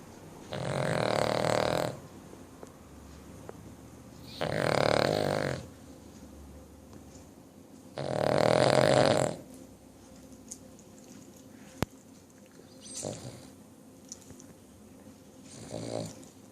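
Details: A 9-year-old Cavalier King Charles Spaniel (Canis lupus familiaris) snores in loud, rasping breaths, each lasting over a second.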